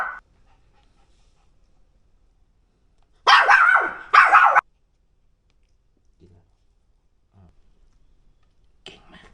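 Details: Timid Pomeranian barking at a trainer while feeling unsafe and backing away: two sharp, harsh barks in quick succession midway through, otherwise near silence with faint soft sounds.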